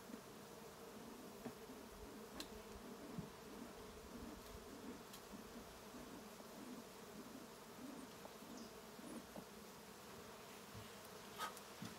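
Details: Smoked Western honey bees left to evacuate their hive during a trap out: continuous droning hum with gently pulsing low bands throughout, a few faint clicks and taps scattered over the steady buzz.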